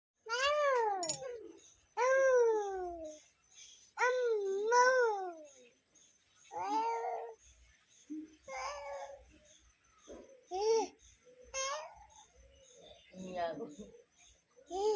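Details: Female pet cat meowing indoors in a small room: several long, drawn-out meows with rich harmonics, each falling or wavering in pitch, about every two seconds, followed by shorter broken calls mixed with a person's voice.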